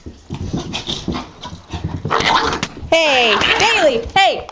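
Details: Ten-week-old Samoyed puppy playing indoors with a small Pomeranian-Dachshund cross; high, wavering whines that fall then rise, two drawn-out cries near the end, over a woman's coaxing speech.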